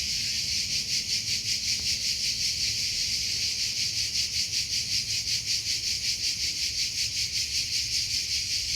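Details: Shrill cricket trill, rapid even pulses sustained throughout, bright and high-pitched against a faint low background hum.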